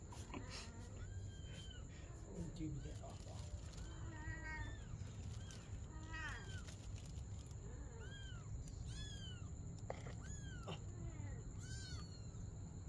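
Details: At night a mother cat plays with her kitten; many short curved meows come in quick succession, some doubled, amid a continuous low hum and faint voices.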